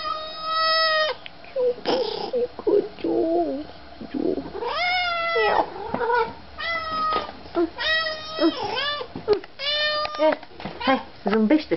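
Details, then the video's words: Pet cat greeting its owners on their return, with loud sustained yowling meows, some long and steady, others sliding up and down, mixed with rapid short cries and a person's voice. "Katzen sehen ihre Besitzer wieder und freuen sich, Cat see their owners again and look forward"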